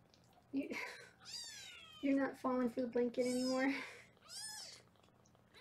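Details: Kittens in a Los Angeles foster room during weigh-in: several high, wavering mews rise and fall between stretches of a woman talking, with one clear plaintive cry near the end.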